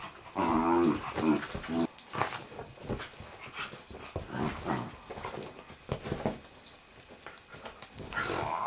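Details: Bedlington Terrier playing indoors with a ferret: rough, buzzy growls with stacked harmonics come in a run of pulses over the first two seconds. Scuffling and panting noises follow, and another harmonic growl sounds near the end.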